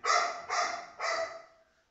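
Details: Golden Retriever named Rocky at home, being coaxed to hand over its food bowl: three sharp, bright barks about half a second apart, the last trailing off, with Tamil speech around them.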